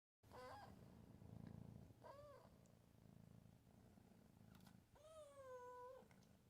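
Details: Milo the cat, recorded in late 2020, giving short, funny meows: three brief wavering calls at about half a second, two seconds and five seconds, the last one longer and held steady, over a constant low rumble.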